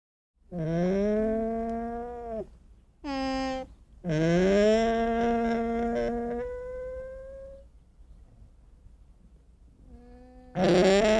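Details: Llama giving a series of nasal, harmonic calls: a steady tone near two seconds long, a short one, then a longer wavering call, with a fainter hum and a final loud call at the end.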